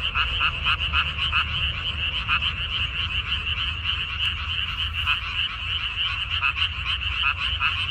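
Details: A dense chorus of frogs in a water-parsley field on 14 May 2021: many overlapping high, rapid trilling croaks merging into a steady, pulsing wall of sound.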